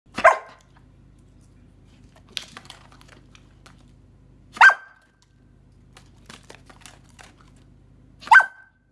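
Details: Bernese Mountain Dog puppy indoors barking for more treats: three short sharp barks spaced about four seconds apart, with faint rustling and a low hum between them.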